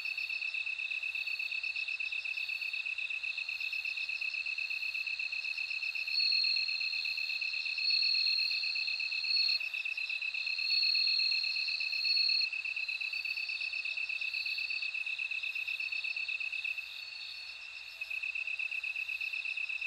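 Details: Bell cricket song: bright high ringing trills in bursts of one to two seconds, rising over a steady pulsing insect chorus that runs throughout, briefly quieter near the end.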